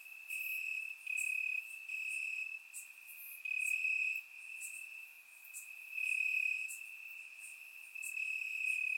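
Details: Warm summer night in Bulgaria with crickets chirping in the grass, surround recording: an unbroken high trill pulsing louder and softer in about one-second bouts, accompanied by repeated crisp upper chirps from several insects.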